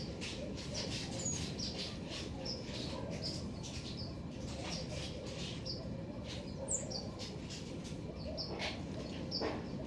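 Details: Black-tufted marmosets in a garden utter a series of short, piercing high whistles, a few falling in pitch, scattered across the clip over continuous low background rumble.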